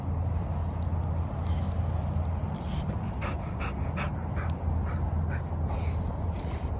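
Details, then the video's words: Mulan, a 7-month-old, 60 lb female American Bully, impersonates a track hawk. She gives a steady, low rumbling growl, like an idling engine, with a few short snorts and breathy sounds on top. "Watch my American Bully impersonate a track hawk."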